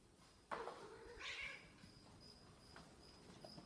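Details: Snowshoe cat that misses its owner gives one short, high, strained meow just after a soft thump, followed by quiet indoor background.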